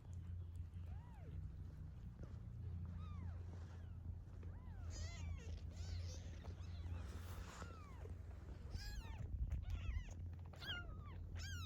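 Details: A domestic cat that was fed, stayed, and later brought several newborn kittens home. Many brief, high, arched mews come in scattered bursts, thickening toward the end, over a constant low hum.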